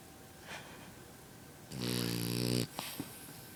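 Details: French bulldog puppy asleep indoors, giving one loud, rough, buzzing snore lasting about a second, followed by a couple of soft breathy sniffs.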